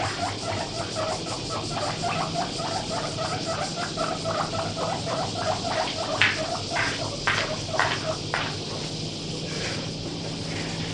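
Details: Pet guinea pig kept at home, about 1 kg, begging loudly while eating grass: repeated high squeaky wheeks in uneven runs, a few sharper louder squeals in the middle, over a constant low hum.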